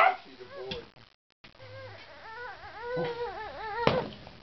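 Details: Kaley, a pet female Corgi known for leaping onto a man's lap, whines in a high, wavering voice. The tone bends up and down in quick wobbling rises and falls after a brief silent pause. A soft thump is heard near the end.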